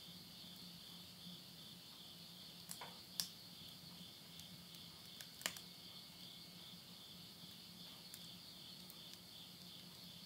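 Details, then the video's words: Insects calling at midnight at the end of summer, September 2020, in the countryside of Yurihama, Tottori, Japan. A steady, high, shimmering chorus runs throughout. Sharp crackles and pops of wood burning in a stove come twice, near the third and fifth seconds. "the voice of insects"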